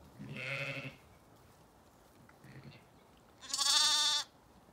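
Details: Zwartbles ewes and lambs in an orchard in County Kilkenny, Ireland, calling to each other to reunite after breakfast: a low, buzzy bleat, then after a pause a high, bright, quavering bleat, with faint background noise.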